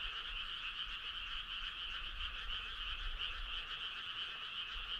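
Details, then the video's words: Frogs singing together on a midsummer night along a country road, a soft, even, pulsed trilling chorus with little else heard. "Cool frog sound"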